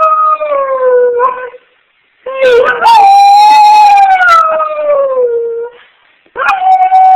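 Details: A dog howling on command gives long, mournful howls, each one sustained and slowly sliding downward in pitch.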